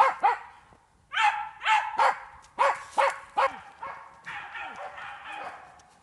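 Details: Jagdterrier working wild boar in an enclosure during training, a run of loud, clipped barks in quick succession that gives way to rougher, noisier barking toward the end.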